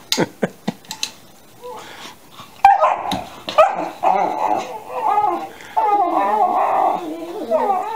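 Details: Alaskan Malamute puppies, 13 weeks old, yowling at each other indoors under chair legs; a few sharp clicks open, then wavering, rising and falling harmonic yowls and whines overlap in long, continuous bursts.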